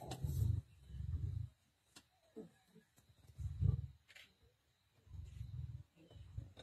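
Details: Black Dam male lions being aggressive toward the Nkuhuma lioness while feeding, 19 November 2023: quiet, deep, rumbling growls in separate bursts about every one to two seconds, with faint rustling between.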